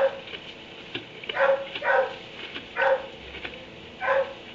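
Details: A dog barks from its kennel in a barn at 3 am: five loud woofs at uneven intervals, two close together then spaced apart, with light clicks and hiss in the background.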